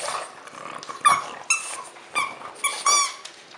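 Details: French Bulldog, Christmas season, producing four sharp squeaky whines with quieter gaps between, each a brief high-pitched cry over low background rustling.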